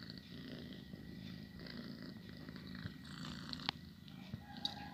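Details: Steady low purr of a pet house cat, a rolling rumble that swells and eases with each breath, a couple of small clicks near the end.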